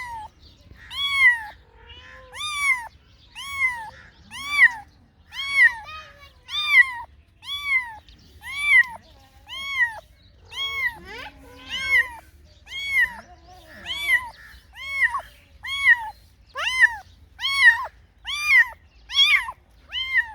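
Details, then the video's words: A kitten-like meowing repeated about once per second for twenty seconds, nearly twenty short rising-falling meows of steady pitch, with a faint voice murmuring briefly midway. "Funny Cats and Kittens Meowing Sound Effects Compilati |Cat Meow"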